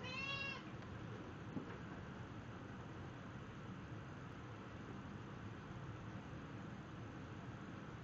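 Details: Snowshoe cat playing fetch indoors gives one short, high meow with a clear tonal ring at the very start, followed by several seconds of steady low room hum and no further calls.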